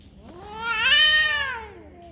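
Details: Domestic cat giving a single drawn-out yowl, a rich harmonic wail that swells and rises in pitch at the middle, then sinks and fades over about two seconds, with a faint steady hum behind it.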